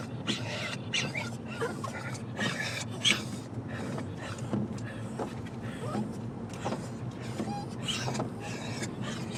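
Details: Pet dogs Dash, Linus and Rerun, excited to see their grandparents, give short, noisy, bark-like bursts at irregular intervals over low engine rumble and a few voices.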